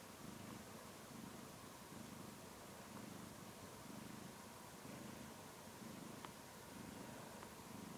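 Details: Cat purring while sleeping with its toy, a soft low rumbling purr that swells and fades with each breath about once a second, over a steady background hiss.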